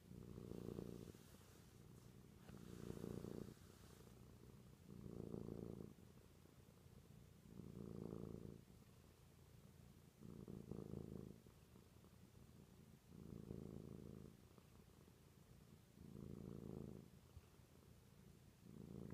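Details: Female cat Sparky drifting off to sleep while purring, a deep continuous rumble rising and falling with each breath, about seven even swells across the stretch, soft and close with a faint brief rustle near the start.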